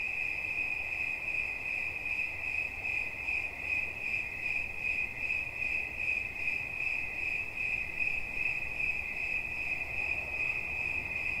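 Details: Relaxation sounds of a cricket: a high, clear chirp repeated rapidly and evenly, roughly two and a half pulses a second, with a faint higher overtone and quiet hissing background.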